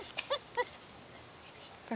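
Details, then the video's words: Dog making playful sounds while playing with a stone: three short, high, squeaky whines in quick succession, each a tonal squeal, followed by near quiet and the start of a person's voice at the end. "Dog makes fun sounds"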